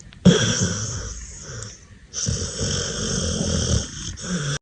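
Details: Pit Bull puppy asleep, drawing two long, wheezy, snoring breaths, low and rattling with a whistly, hissing edge.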